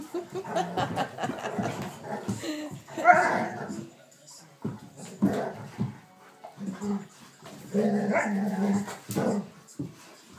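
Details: Two Vizslas, aged three and eight, from Leipzig, play-fighting indoors in a living room on a bad-weather day, biting, nipping and wrestling. Bursts of low rumbling growls and snarls, with a sharp bark-like burst near three seconds, and German speech alongside.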